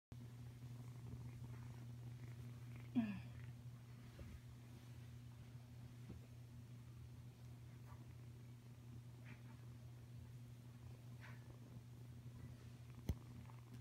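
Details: Savannah cat kitten, five weeks old, purring softly indoors: a steady low continuous rumble throughout, broken by one brief squeak near three seconds and a faint click near the end.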